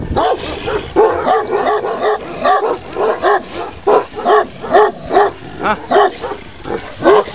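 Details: A huge Kangal dog, 95 cm tall, giving deep, rhythmic barks or yelps repeated about twice a second in a steady run.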